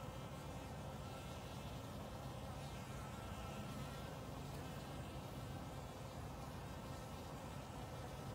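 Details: Honey bees drinking from a shallow water-filled bucket lid on March 29, 2021, give a steady, low droning hum of many wings, with early spring birds in the background.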